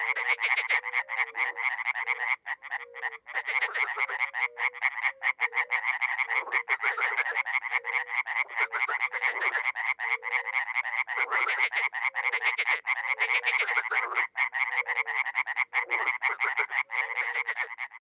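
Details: Dozens of frogs and toads calling at a small pond in Miroslovesti, north-eastern Romania, in spring: a dense, unbroken chorus of rapid rattling croaks. Low, short notes are scattered beneath, with no other sounds.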